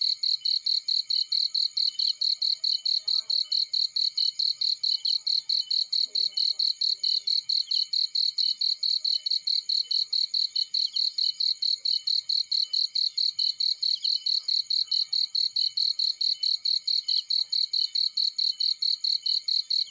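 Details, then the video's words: Cricket in a field: high, shrill chirps pulsing in a fast, even rhythm without pause for the whole stretch, with faint scattered higher tweets in the background. "Warm Relaxing Fireplace In Field || Burning with Cricket Sounds"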